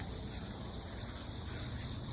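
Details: Cricket chorus outdoors following a typhoon, cats gathering nearby on the moist ground; an unbroken high shrill trill with a second, higher steady tone, and low rumbling noise underneath.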